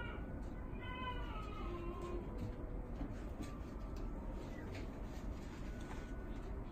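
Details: A male blue Russian Blue cat at a pet shop, born 16 September 2018, gives a clear, drawn-out meow that starts high and slides down over about two seconds, over a steady low hum and faint clicks.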